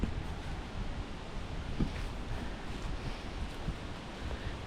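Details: Wind rushing steadily across the microphone on the Minshall Trail at Tyler Arboretum in Delaware County, Pennsylvania, with low rumbling and no animal calls.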